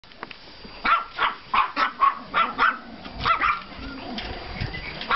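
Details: Pomeranian and klein spitz puppies on a yard walk after snowfall on 5 April 2014, barking in a quick run of about ten sharp yaps, then a few softer barks and quiet rustling.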